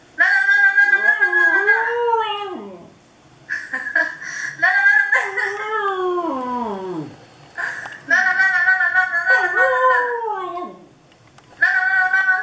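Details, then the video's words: Dog howling at a webcam indoors: long, wavering harmonic howls that hold steady then slide sharply downward, broken by short silences, with several drawn-out phrases over twelve seconds in a small room. "Dog howling to webcam"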